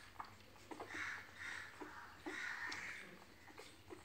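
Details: Beagle puppies indoors, with 6 November 2021 spoken just before; soft high-pitched whimpers and whines come in short drawn-out bursts, about four across four seconds, over faint sniffing and small thumps in a quiet room.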